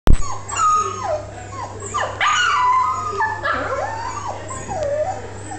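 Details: Pet puppy named Bear Bear, female, giving a small baby bark after accidentally rolling over while easing an itch and being laughed at; wavering high whines and yips sliding up and down, steady low hum beneath.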